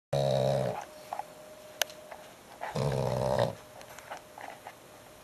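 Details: Loud dog snoring indoors: two rasping snores with a harmonic buzz, the first brief and the second longer about two and a half seconds later, with a quiet room and small clicks between.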